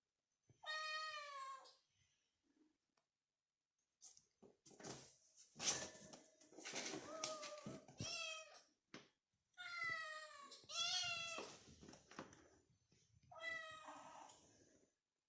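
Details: Kitten calling indoors, seemingly seeking affection: several bright, wavering mews, some rising then falling, interspersed with rustling and knocking sounds of handling in a small room.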